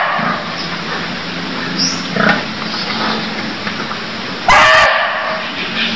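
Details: Cambodian barking deer giving a single abrupt, harsh bark near the end. Before it there is a quiet, hissing background with a few soft low noises and one brief high upward chirp.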